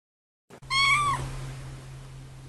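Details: A cat gives one short, clear meow that rises slightly and then falls, lasting about half a second. A steady low electrical hum continues beneath it and after it.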